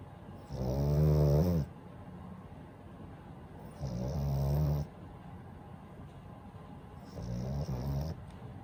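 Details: Daifuku, a pet French Bulldog, snores while asleep, sending out three deep, rattling snore bursts about three seconds apart, each roughly a second long, the last one softer, with low wheezy breathing in the pauses.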